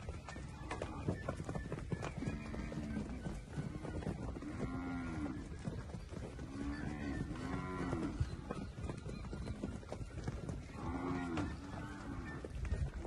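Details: Young Nelore heifers, a group of 37 aged 13 to 15 months, near Jales, São Paulo, Brazil: low, droning moos come one after another and overlap, roughly one every second or two, over steady shuffling and rustling.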